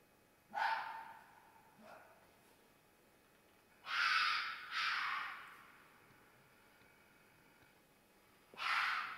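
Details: Fox screaming in mating season: harsh, breathy, raspy cries, a short one, a faint one, then a loud doubled scream and a final burst after a pause, over soft background hiss.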